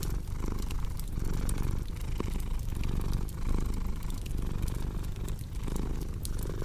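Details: Domestic cat purring in a relaxation sleep mix: a steady low rumble that swells and dips with each breath, about once a second, while sharp fireplace crackles snap over it.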